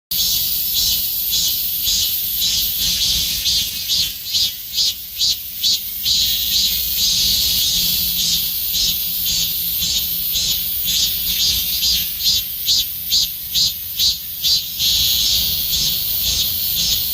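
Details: Robust cicada singing in summer, a loud high shrill buzz made of rapid pulses repeated about twice a second in long rhythmic runs, with brief dips between phrases and a steady background hiss.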